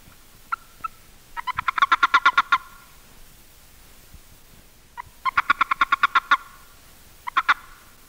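Boreal toad giving rapid bursts of short, clucking chirps, its release warning when grabbed by another male.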